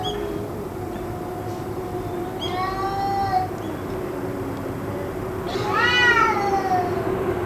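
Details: Cats, possibly fighting, calling on and on for about two hours: two drawn-out, harmonic-rich wails, each rising then sagging, over a steady low hum.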